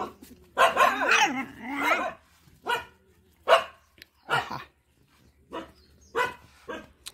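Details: Village mother dog with her four puppies barks at a person who tried to play with the pups. Short harsh barks come in uneven bursts, about seven over seven seconds, with a longer ragged run near the start.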